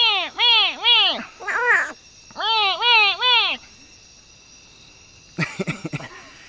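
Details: A big smoky jungle frog, grabbed by hand, gives harsh, rising-and-falling release calls in quick bursts of three.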